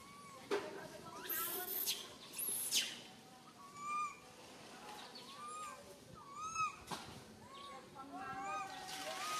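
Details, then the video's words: Tiny baby monkey stuck alone high in a tree, fearfully crying for its mother: clear arched whistled cries, each rising then falling, repeated irregularly, with splashing and rustling bursts in between. "Calling Mum Helped while Stuck on high tree alone Tiny baby monkey SANTOS Cry very fearful"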